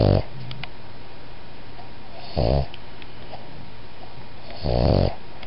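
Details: Boston Terrier and Pug designer mix dog giving a soft whisper snore: short raspy breaths recurring about every two and a half seconds over a steady low hum indoors.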